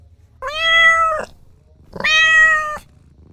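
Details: Kittens playing outdoors on grass give two drawn-out, steady meows, each lasting about a second with a flat, even pitch, separated by a short pause; a low background hum sits underneath.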